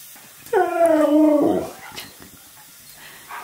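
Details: Husky indoors, happy while being given his favourite things such as dog-friendly waffles and turkey, gives one drawn-out, tonal, slightly wavering howl-like whine of about one second, pitch sliding gently down at the end; quiet room afterwards.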